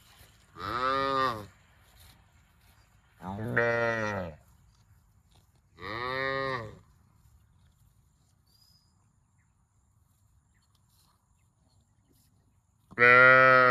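A cow gives four long, deep moos, each lasting about a second, with pauses between them.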